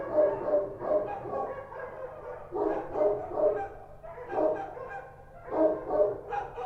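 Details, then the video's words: Street dogs of the Kochi breed barking at night in Kabul, giving clusters of two or three sharp barks about every second and a half, each cluster rising and falling in loudness. "Street dogs barking at night | Kabul | Sound Effect | Kochi Dog"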